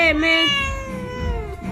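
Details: Domestic cat angry while its claws are being cut, giving a long drawn-out meow that starts high, dips, then slowly falls in pitch over nearly two seconds, with a woman speaking in Bengali around it.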